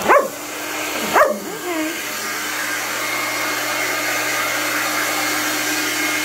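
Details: A male Irish Setter asks for his hair to be blow-dried with two short, sharp, rising-and-falling talking barks about a second apart. Then a steady hair dryer roars on.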